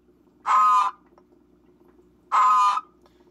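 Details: A 3-year-old adult male Brazilian horned frog gives two loud, harsh, metallic rasps, each under half a second and about two seconds apart, over a low steady hum; its call is noisier than a Chaco horned frog's.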